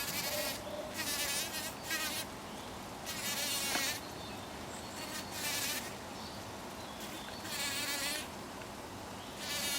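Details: A bee working poppy flowers while pollinating them, heard as intermittent bursts of bright, wavering buzzing that rise and fade every second or so over a steady background hiss.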